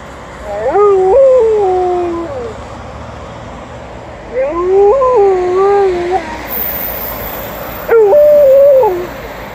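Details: Liza, an Alaskan Malamute, howls at passing ambulance and police car sirens. Three softer howl bouts, each rising then wavering and sliding down, come about every three seconds over steady background noise.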